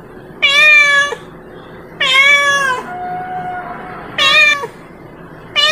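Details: Village cat meowing to call its companion: loud, clear, harmonic meows about half a second long, repeated roughly every two seconds, with a faint steady tone between calls.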